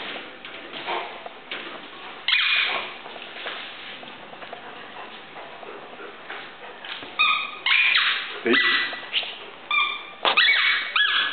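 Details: Irish Wolfhound named Cattleya giving a series of high, wavering whines and short yelps, sparse at first and then bunched more tightly in the latter half, with quieter breathy sounds between.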